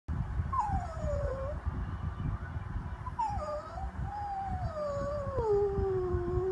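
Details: Jack Russell Terrier whining because it wants to come up: high, thin, whistled whines that slide downward, several drawn-out falling tones in a row over a low rumbling background.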